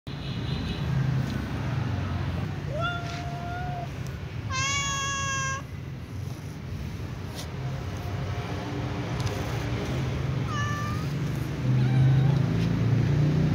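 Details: A calico cat, among other cats, meows to ask to be fed. Three drawn-out harmonic meows sound, the middle one loudest and fullest. A steady low rumble runs underneath throughout.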